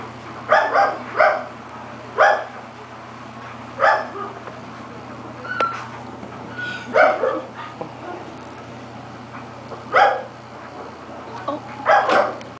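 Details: Labrador Retriever at an animal shelter in Georgia, available for adoption; short barks repeat irregularly every one to two seconds over a steady low hum, with other kennel noise.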